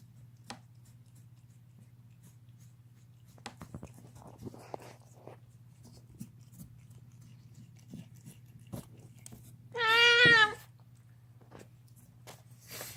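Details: Indoors, a deaf house cat chewing on a bone gives a single loud, quavering half-second yowl after a stretch of quiet crunching and clicking noises.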